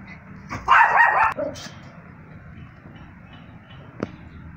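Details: A Yorkshire Terrier, a small long-haired dog breed, gives one short bright bark lasting about half a second, followed by a fainter second yip; a soft click and low room hum are heard afterward.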